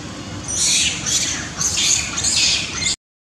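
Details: Baby monkey crying loudly after a dominant king monkey slaps it: shrill, high screams in two or three rough bursts, loud and continuous, ending abruptly in silence after about three seconds.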